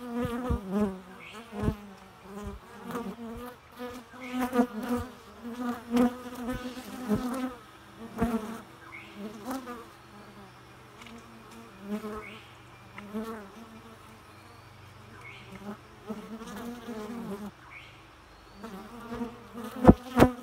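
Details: Bee buzzing steadily for a long stretch, the droning hum wobbling in pitch and swelling at close passes, with many brief clicks and taps scattered throughout.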